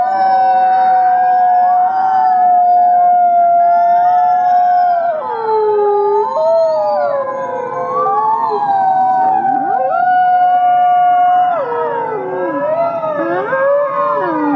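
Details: Many captive gray wolves howling at the Wolf Conservation Center in South Salem, New York: a long level howl over a dense chorus of rising and falling voices, with sharp downward swoops and yips.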